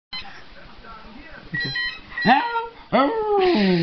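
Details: A dog howling at a ringing phone indoors; faint electronic ringing tones give way to three rising, wavering howls, rich in harmonics, crowded into the last two seconds.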